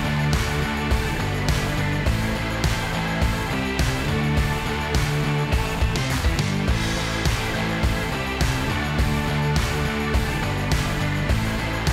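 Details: Loud rock music with driving guitar and drums throughout, with no animal sounds heard.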